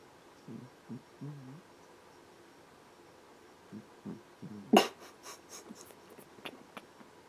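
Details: Jupiter, a pet cat, snoring while asleep indoors: soft, low rasping breaths in short clustered pulses, two bouts a few seconds apart, quiet room, then a sharp knock and faint clicks near the end.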